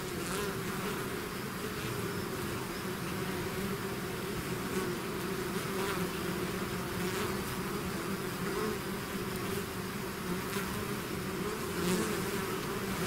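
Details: Constant buzzing of a honeybee-style swarm emerging from a hive: a dense, even hum of countless wings with stacked low tones, occasional faint ticks above, and no pauses.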